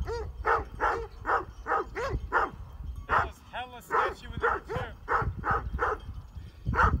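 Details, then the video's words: While mountain bikers back away near Heber, Utah, sheep-guarding Great Pyrenees bark in quick, rough runs, with a man speaking briefly between barks and wind rumble below. "Surprised by Great Pyrenees Sheep Dogs while Mountain Biking in Heber, UT"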